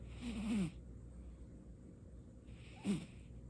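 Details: Sleeping pet cat Baekho, caught snoring for the first time: two breathy snores, the first longer with a wavering whistled undertone, the second short and sharp near the end, with soft room hush between.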